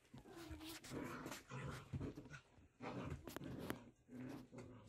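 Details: Six-week-old Doodle puppies from Willa's first litter, including Hulk and Ice, play fighting while learning bite inhibition; dense, rough growling with whimpers and yips runs almost continuously in overlapping bursts.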